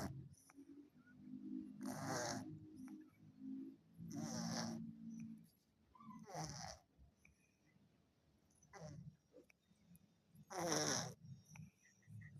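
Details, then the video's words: Sleeping orange cat snores in raspy, airy pulses, each lasting under a second and spaced a couple of seconds apart, with a faint low hum beneath. "Kucing oren tidurnya Ngorok"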